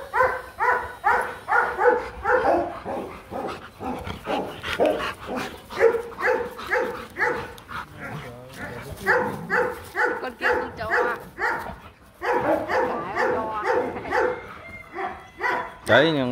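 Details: During a Hanoi mating session, the male Rottweiler Marvin Gervi courts the reluctant female Kacyno Gervi. Steady, rhythmic yipping barks repeat about twice a second and continue almost without a break, with brief pauses, a rising whine near the end, and voices and laughter.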